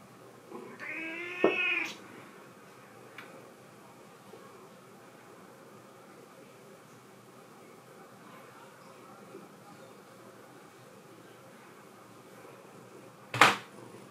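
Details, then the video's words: Thirteen-year-old indoor cat scared off by a keyboard gives one short rising-falling meow near the start, then near silence with a faint low hum, ending in a sharp click. "13 year old cat, scared off by keyboard."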